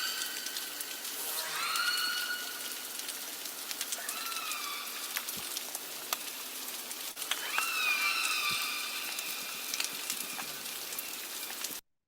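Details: Northern Resident killer whales of A clan, the largest acoustic clan of several family pods, give harmonic, upswept squealing calls, the stereotypical killer whale sound, repeated several times over steady underwater hiss.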